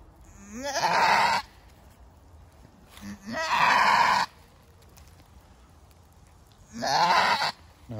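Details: First-time mother goat struggling through birth screams three times, roughly every three seconds, each cry opening with a rising wavering note and swelling into a harsh, strained bleat.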